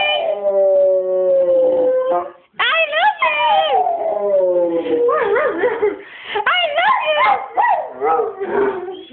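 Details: A Rottweiler "sings", howling in long, wavering tones that slide down and rise again in a sing-song way; the owner hears it as saying "I love you".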